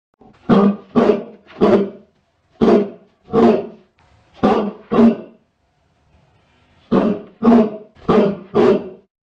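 A Great Dane gives deep, booming barks in quick bursts of three or four, with short pauses between.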